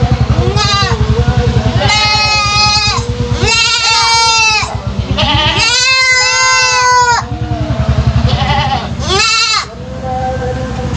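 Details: Three-month-old goat kid with an unusual voice that drew attention from local residents, Indonesia: a string of loud, strained, harmonic-rich bleats, some short and some drawn out, over a steady low engine-like hum.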